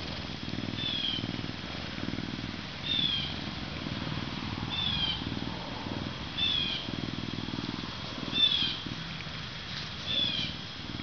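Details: Captive Canada lynx Max, zoo-born in May 2011 and kept as an animal ambassador at 40.5 pounds, gives a continuous low pulsing purr, while brief high squeaky chirps recur every couple of seconds over a thin constant whine.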